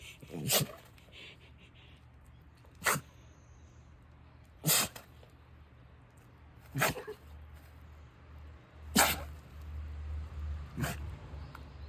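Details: Rescue dachshund living with other dogs indoors sneezing forcefully again and again, six sharp broadband bursts spaced roughly two seconds apart, with faint rustling and a low hum between them.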